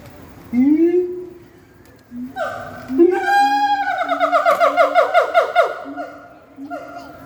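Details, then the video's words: A siamang at Rainforest Wild Asia, Singapore, sings loud rising whoops, then a fast run of harsh, pulsing barks that speed up; such singing is said to strengthen bonds between the apes. "Siamang singing loudly at Rainforest Wild Asia Singapore"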